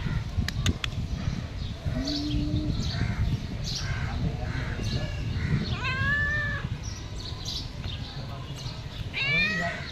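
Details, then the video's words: A pet cat asking for food: several harmonic meows, one near six seconds sliding downward and another rising near nine seconds, over steady low rumbling background noise, with a few faint clicks early on. "Cat Always Asking Me for Food"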